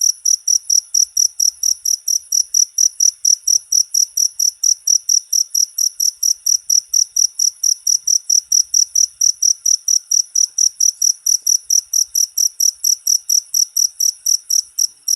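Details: Steady, fast cricket chirping, each pulse shrill and high, continuing without a break; a short jangkrik recording offered as masteran material for all birds.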